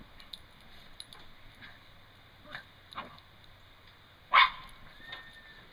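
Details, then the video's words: Toy Fox Terriers Fritz and Griffin playing in the snow; one sharp, loud bark rings out near the end, after scattered soft crunching and light thumps of movement. "Fritz and Griffin Toy Fox Terriers"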